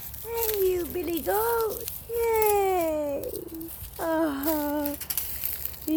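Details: Goat beside its newborn kid, giving a run of quavering bleats, some rising then falling, several in six seconds, with faint rustling and a human voice in the background.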